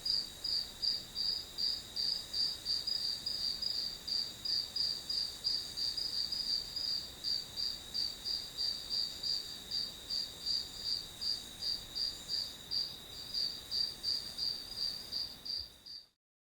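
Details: Grass insects chirring as white noise for studying: an insistent high-pitched trill beating in even pulses about three per second for over fifteen seconds, then cutting off abruptly into silence.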